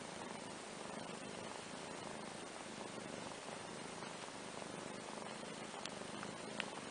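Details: Domestic cats, a kitten and his older half-sister, relaxing together on a playmat indoors; a steady, low, continuous rumbling purr runs throughout at an even level, with a few faint clicks and rustles.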